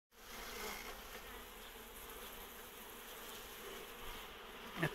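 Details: Honey bee swarm, the third in a row from the same beehive and holding four queens, entering its new hive: a dense, steady droning hum with layered low tones, unbroken throughout after a sudden start.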